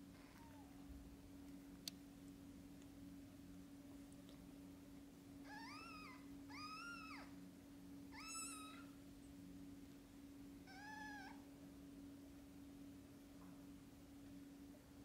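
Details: Domestic cats, a mother with newborn kittens not yet opening their eyes. A soft call opens, then four clear, rising-then-falling mews come about a second apart over a constant low electrical hum indoors.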